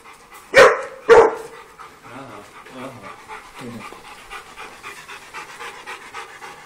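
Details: Dogs playing on a farm: two sharp, loud barks half a second apart, followed by soft low whines and grunts, with people talking quietly in the background.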